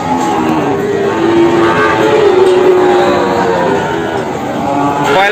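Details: Jumbo Peranakan Ongole cattle at the morning Kliwon animal market in Kebumen, Indonesia; a long, level low moo stretches over several seconds beneath people talking and general market din.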